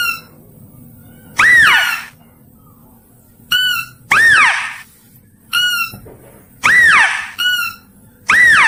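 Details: Mouse-deer calling for luring: loud, arching squeals that swoop up and down, alternating with shorter, flat, ringing squeaks at irregular intervals of one to two seconds.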